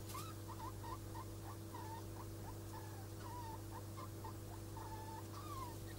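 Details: Degus mating, the male with white fur around his neck, produce a nearly continuous run of short squeaky chirps, roughly one every half second, with occasional longer wavering and falling squeals over a steady low hum.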